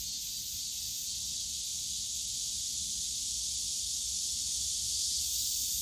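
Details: Cicadas calling in the bamboo grove of Yongsan Family Park on a summer day: a dense, unbroken high-pitched hiss of buzzing that holds steady throughout, with faint low rumble beneath.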